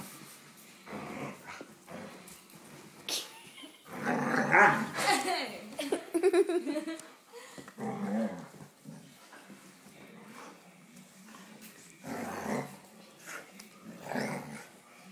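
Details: Pet dog named Luxon, a female, playfully feisty and biting at a hand indoors when feet touch her belly; bursts of low rough growling and snarling come and go, mixed with a person's speech in a small room.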